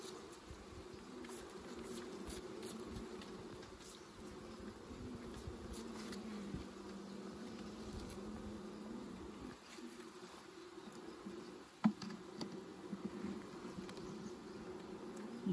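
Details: Continuous bee buzzing at a honey harvest, a low wavering drone lasting throughout, with clicks and bumps of handling in the last seconds.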